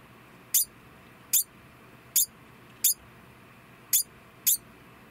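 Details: A male degu, an estimated three years old, gives sharp, very high chirps just after mating, each a quick downward squeak, repeated irregularly as an alarm call during the breeding period.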